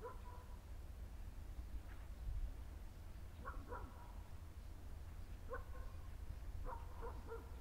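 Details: Rough Collies barking during an unexpected encounter with horses on the way home, outdoors: short harmonic barks in loose bursts, some doubled, spread over several seconds above a steady low rumble.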